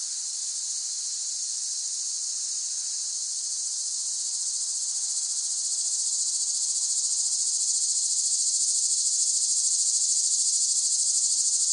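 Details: Continuous shrill cicada song meant for calm listening at bedtime, a bright high buzzing wall of sound that gradually grows louder over the second half, with faint rapid pulses.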